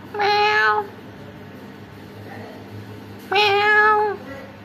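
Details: Two loud meows from orange cats visiting a house, about three seconds apart, each drawn out and evenly pitched with rich overtones; faint room hum between calls.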